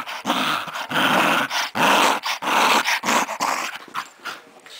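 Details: Playful growling from a Scottish Terrier called Cody, a pet dog indoors: harsh rumbling bursts about one and a half per second, fading toward the end.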